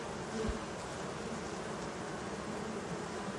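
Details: Honey bees in the evening, around 8 p.m., clustering beneath a hive they cannot enter through its narrow openings. They make a continuous, even, low droning buzz with faint tonal bands and no other clear sounds.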